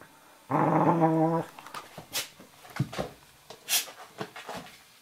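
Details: An 11-week-old Eurohound puppy, Firenza, and Brio, a 4.5-year-old Nova Scotia Duck Tolling Retriever, playing indoors; one steady, harmonic growl lasting about a second, followed by soft snorts, thumps and scuffling.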